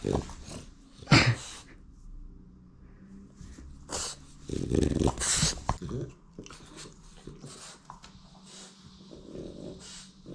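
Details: A French Bulldog gives a few sharp, gruff barks between low grumbling growls, demanding attention so its owner puts his phone away.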